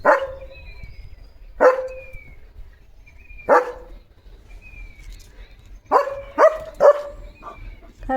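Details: German Shepherd barking repeatedly in a yard where sparrows nest: spaced single barks, then a fast burst of three close barks, with faint whistled bird chirps in the background.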